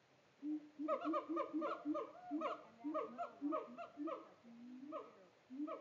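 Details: Zoo-kept siamangs in Tampa give a fast, rhythmic chorus of loud barking whoops, about two per second, each harmonic-rich note rising then dropping, with a longer low hoot near the end.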